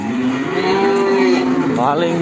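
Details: A large cattle offered for sale in Ambarketawang, Sleman, for qurban; one long, steady, slightly wavering moo that fades into a short rising tail, with faint music behind.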